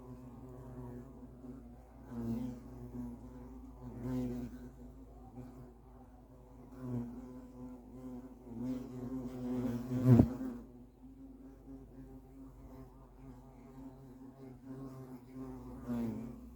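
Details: Nest of European hornets: a persistent low drone with slow, uneven swells in loudness and one sharp click about ten seconds in.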